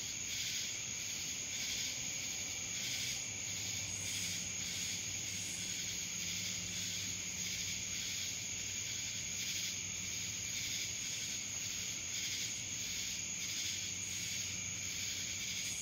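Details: Cicadas calling in Dallas, Georgia: a dense, continuous high-pitched buzzing drone with a steady whine on top and soft pulsing swells every second or so, unbroken throughout.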